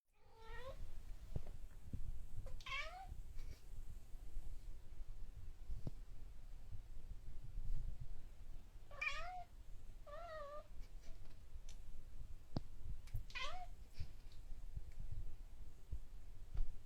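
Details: Cat arguing with a mosquito indoors; a series of short wavering meows in bursts, some doubled or tripled, separated by pauses, with faint background thumps.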